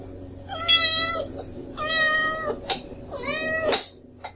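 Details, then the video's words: Kitten named Sully whining at mealtime: three drawn-out, harmonic meows, each about half a second long and spaced roughly a second apart, with a faint low hum underneath. "Sully Whining"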